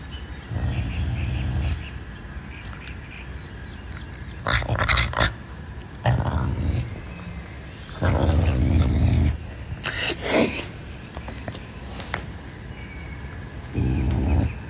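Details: Caracal named Pumba growling while eating chicken wings; low rumbling growls in bursts of one to two seconds, separated by quieter gaps and sharp chewing or crunching clicks.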